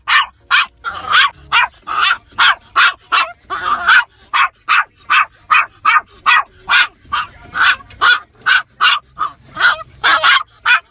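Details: Road-raging toy poodle Asher yaps from inside a car in a nonstop string of about twenty-five sharp, high barks, roughly two each second, with a brief whimpering edge between some.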